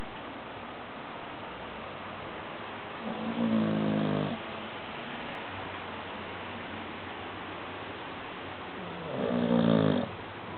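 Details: Sleeping dog snoring: two rough, rasping snores about six seconds apart over a steady low background hiss.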